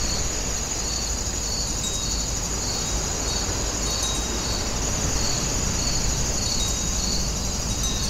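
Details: Woninjae, Incheon: grass insects keep up a regular pulsing chirp, close to two beats a second, layered over a steady shrill hum, while a continuous broad background rush, like traffic or wind, runs throughout.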